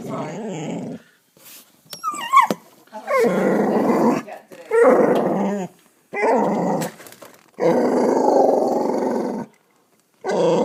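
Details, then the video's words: Backyard dog growling at an indifferent cat; uneven growls of varying length, some with rising whining edges, separated by pauses and clicks, plus faint low speech-like sounds. "Murphy growling at cat"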